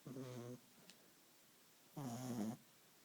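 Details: Small Beagle asleep on a couch, snoring: two rough, buzzy low snores of about half a second each, spaced roughly one and a half seconds apart, with quiet breathing between.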